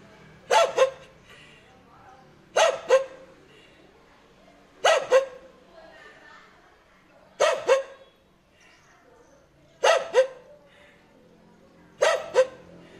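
A dog gives hoarse, rasping double barks, repeated about every two and a half seconds.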